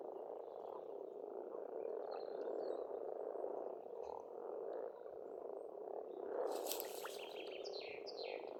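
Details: Croaking frogs in spring at a pond in Estonia make a thick continuous drone, and near the end a bird bursts in with a loud, rapid, buzzy and whistled phrase.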